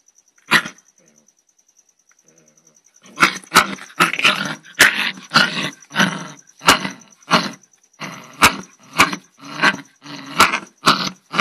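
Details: After one bark and a near-silent pause, an angry dog launches into rapid snapping barks mixed with rough growls, about two per second at first, then steadily repeated. A thin high whine persists throughout.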